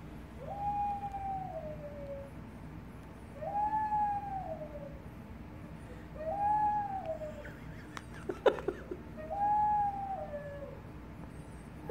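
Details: A female red-nose pit bull, just finding her howling voice, gives long, wavering howls, each rising then sliding down, about every three seconds; she also squeaks.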